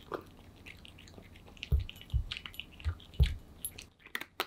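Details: Aman, a pet cat, eating kibble hungrily indoors: loud, irregular crunches at a slow, uneven pace, some with deep thuds, among softer wet chewing and sharp high clicks near the end.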